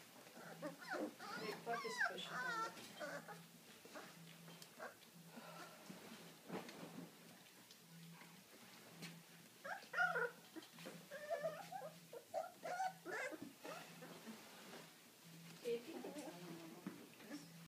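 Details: Deutsch Drahthaar making scattered whimpers and short, wavering whines in clusters, quieter between bursts, over a constant low hum, with people talking at times.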